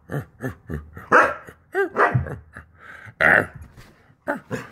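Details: A Siberian Husky "talks" in a series of rising and falling yowls and woo-woos, demanding that its owner get out of bed.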